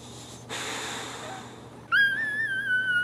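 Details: Newborn Boxer puppies nursing from their mother: snuffling breaths and a brief noisy rush, then a sustained, high, slightly wavering tonal cry with clear overtones that holds steady to the end.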